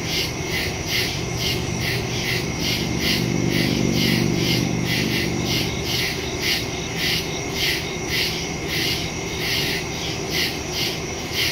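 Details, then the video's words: Crickets chirping at night in the woods, recorded September 2 with a phone and stereo microphone; pulsed high trills repeating a little over twice a second, a brief low droning sound midway, steady background hum. "Crickets in the woods at night"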